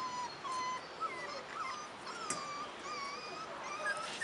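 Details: Young Rottweiler puppies, four and a half weeks old and outside for the first time, keep up a faint chorus of level, drawn-out whines with small upward and downward wavers.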